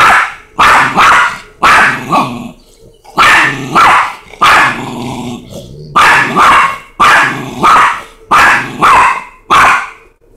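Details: Face to face, a Chihuahua and a Rottweiler trade barks: loud, harsh yaps often doubled, about ten bursts with short breaks and an undertone of grumbling between them.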